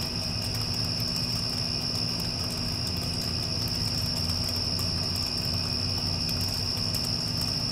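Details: After a storm has passed, crickets keep up one continuous shrill note, with an air conditioner humming low and steady underneath.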